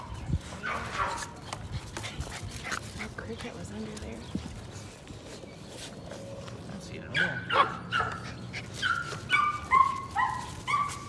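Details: Patterdale Terrier puppies working rats in a puppy pen one evening; after murmuring voices and scuffling, a run of high, falling whining yelps comes in quick succession during the last four seconds.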